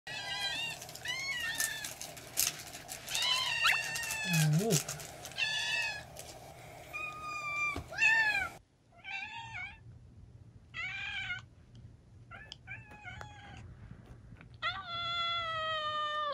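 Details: Several kittens cry together in a chorus, overlapping high, harmonic-rich meows, some wavering and drawn out, others short and repeated, indoors with a low steady hum in the background.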